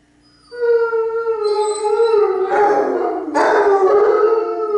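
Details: Two Basset Hounds and a Bloodhound howl together in harmony, a long sustained tonal howl with rich harmonics starting after half a second, a second voice joining and overlapping into a layered chorus.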